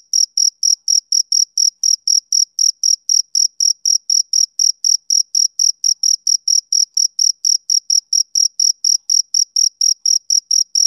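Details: Summer-evening chirps from a male cricket: a long, unbroken run of sharp, shrill pulses at about four per second, uniform in loudness and pitch, with nothing else audible.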